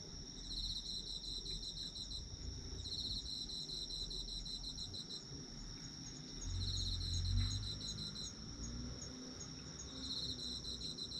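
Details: Autumn insects chirping for sleep: a steady high-pitched ringing tone runs throughout, with bursts of rapid pulsed trilling that swell and fade about every three seconds over a soft low rumble.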